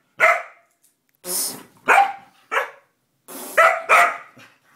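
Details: Lucy the dog reacting to a fart sound she hates: six loud barks over a few seconds, uneven spacing, some with a whining edge, indoors.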